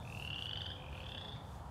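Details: Frog calling in a park, heard during a walk: one drawn-out high whistled trill lasting over a second, rising slightly and then holding steady, over a soft low background rumble.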